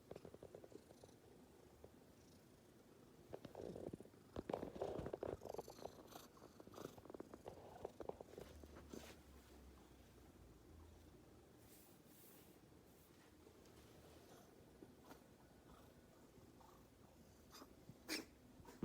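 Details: Sunbathing black cat in the morning, purring softly: a low, even rumble with some rustling and movement noises early on, then a quieter steady stretch with occasional faint clicks.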